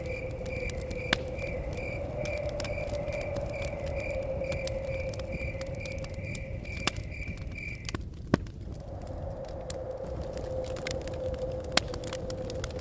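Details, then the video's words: Crickets chirping outside a forest cabin: steady, even pulses about twice a second that break off near the eight-second mark, over a low roar of crackling fire and blowing wind with occasional sharp pops. "Fire Crackles With Blowing Wind And Chirping Crickets"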